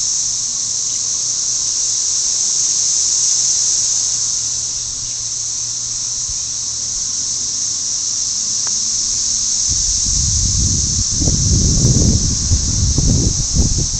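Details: Millions of cicadas around a house make a deafening, steady, high, hissing drone as a mating chorus, with rustling handling noise near the end.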